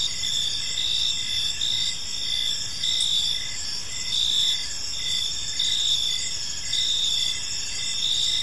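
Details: A chorus of crickets fills an evening park with steady high trilling, regular brighter chirps standing out every second or so against an unbroken shrill background.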